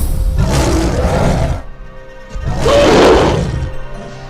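A gorilla gives two harsh, booming roars, the second louder and more strained than the first. Background music plays throughout.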